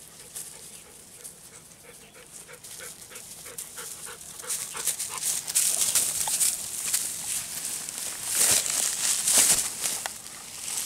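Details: Two Golden Retrievers, Kohaku and Ibuki, roll contentedly in rice-husk ash in a rice paddy right after playing in a river on a hot lunchtime walk; quick steady panting grows under loud, crackling rustles of bodies in dry ash.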